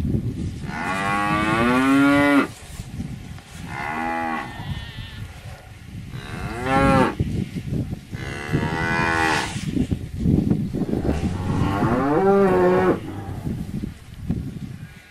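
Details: Cow (Bos taurus), moo.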